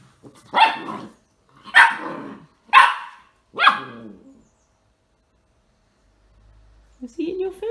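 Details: Dog barks from a household with a young whippet puppy and two older terrier/chihuahua crosses, four loud, harsh barks spaced roughly a second apart, followed by a quiet pause and a person beginning to talk.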